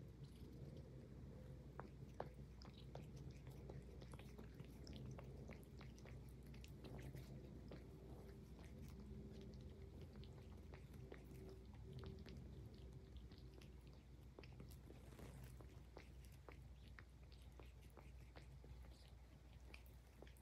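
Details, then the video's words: Highland Lynx cat grooming itself while purring: continuous low, even purring hum lasting the whole stretch, overlaid with a rapid patter of soft wet licking clicks, in a quiet indoor room. "Cute Cat Purring and Grooming l ASMR l Highland Lynx Cat"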